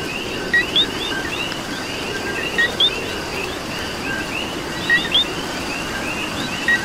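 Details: In Puerto Rican rain, a coqui repeats its co-qui about every two seconds, four times: a quick low note, then an upward-sliding high whistle. Rain patters throughout with many softer frogs chirping behind.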